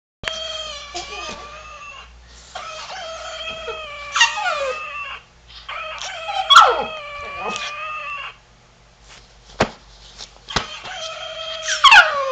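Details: Havanese dog in the dark trying to imitate a chicken: long sustained harmonic whining vocalizations, wavering and bending in pitch, in four drawn-out bouts of one to three seconds separated by short pauses, with a low hum beneath.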